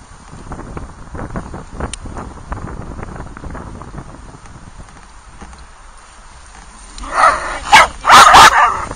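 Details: Dog on a cold outdoor trip with a small pack of dogs; seven seconds of soft rustling and scattered ticks, then a sudden burst of three or four loud, harsh barks close together near the end.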